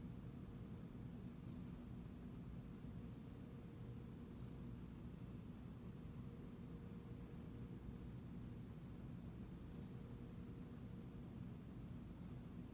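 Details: Pet Siamese cat being stroked and purring continuously, a deep even rumble that holds without pause, with occasional faint light ticks in the background.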